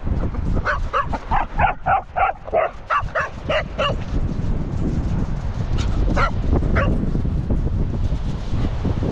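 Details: Two Cocker Spaniels running on Saltburn Beach by the pier in cold weather; a quick series of sharp barks repeats for about three seconds, then a few scattered barks over steady wind and surf rumble.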